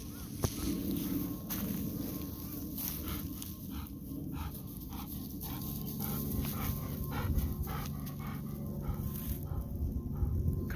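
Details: Golden Retriever running in a rice field, breathing in quick, rhythmic pants, roughly four breaths each second, over a constant low rumble with faint background noise.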